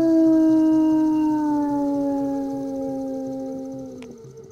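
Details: Wolf howl from a summer howling survey used to confirm that packs have bred: one long, smooth, drawn-out tone with strong harmonics, sliding slowly downward over about four seconds before fading, with a brief click near the end.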